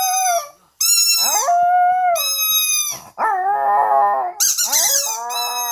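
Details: Pet dog at home howling: long sustained tonal wails rich in overtones, some held steady and some sliding down, with a brief silent gap near the start and a higher wavering cry toward the end.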